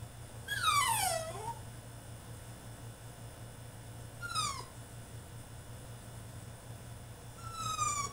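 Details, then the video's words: French Bulldog in his cage throwing a tantrum: three loud high whines that slide steeply downward, the first and longest near the start, another midway and a third at the end, over a steady low hum. "FRENCH BULLDOG THROWS TANTRUM IN HIS CAGE!!"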